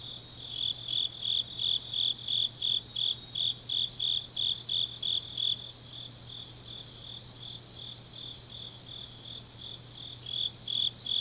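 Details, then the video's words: Deep-night autumn grass insects in Changnyeong, South Korea: a run of regular high chirps, about three per second, gives way to a quieter, continuous shimmering trill before the chirping returns near the end; faint low hum. "깊은밤 가을 풀벌레 소리"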